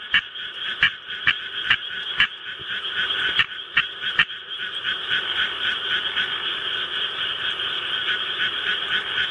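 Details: Japanese tree frog kept as a pet, starting to call when rice-paddy recordings are played; several sharp, loud clicking croaks in the first seconds, then a continuous fast pulsing chorus of raspy notes.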